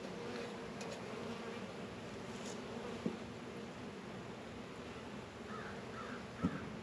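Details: Hive bees out on a 72-degree February day in a northern Kentucky apiary of Warre and Langstroth hives; dense continuous buzzing hum throughout, two short clicks, and three faint crow caws near the end.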